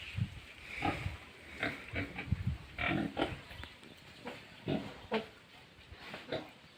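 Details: Pigs on a farm at feeding time, giving repeated low grunts and snuffles roughly every half second, with some higher squeaky notes mixed in.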